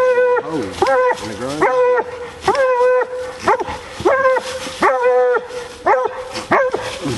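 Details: On a coon hunt, a female Bluetick Coonhound barks in a steady chopping series, about ten ringing, harmonic barks in seven seconds, some with short bawling tails.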